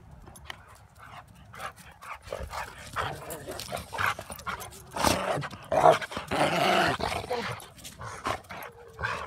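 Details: Dog sounds in a home: short yips and whimpering cries that cluster into a louder run midway, with people talking nearby.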